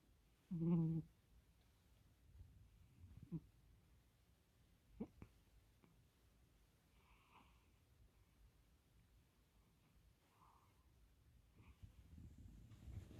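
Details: Snoring of Kkomi, a house cat fast asleep by someone's feet at bedtime, indoors: one strong low, rasping snore early on, followed by soft scattered breaths and small clicks in a hushed room.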